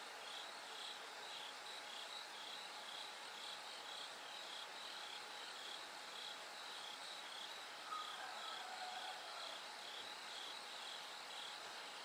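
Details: Bell cricket chorus at night as daylight slowly comes. Regular high trilled pulses roughly twice a second, with a short whistled sound near the end and a faint continuous hum.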